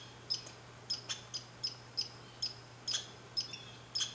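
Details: Red squirrel at Saint-Calixte, Lanaudière, on 15 July 2020: a brief run of high, squeaky chirp notes, each with ringing overtones, spaced about half a second apart over a faint hum.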